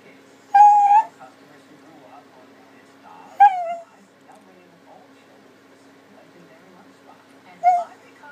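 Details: Max the puppy pleading for a dinner plate to lick: three short, high, slightly falling whimpers spaced several seconds apart, with quiet hum and soft room noise between them.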